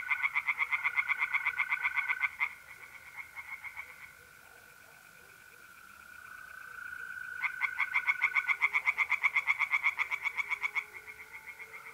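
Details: Pond-dwelling tree frogs calling at night, mid-April, north-east Italy: loud, quick pulsed series about four per second, stopping for several seconds then resuming strongly, while mole crickets keep up a continuous even trill.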